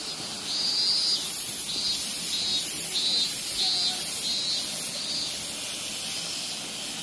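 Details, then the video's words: Robust cicada, the minmin-zemi, still singing in Minoo, Osaka, at the end of summer: loud, shrill pulsing drone in rhythmic phrases of repeated throbbing notes, about one per second, over a steady high hiss. "【みんみん蝉】ミンミンゼミ 箕面 夏の終わり 昆虫 大阪 蝉の声"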